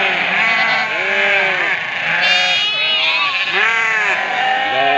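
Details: Flock of ewes calling for their lambs, many overlapping wavering bleats at once, some high and some lower, forming a dense continuous chorus.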